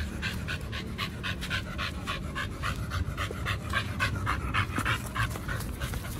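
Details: Dogs Oliang and Nomyen at a dog hotel during a raw-food picnic of chicken and pork: quick, breathy panting repeated about three to four times a second, steady and rhythmic over a low background rumble.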